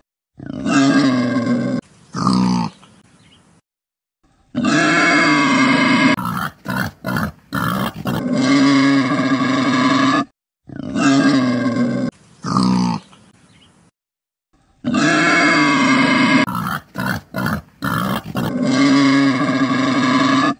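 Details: Wild boar. Rough, guttural grunts from a wild boar come in loud bursts separated by brief pauses. Some bursts shift into strained, rasping squeals with a strong nasal tone.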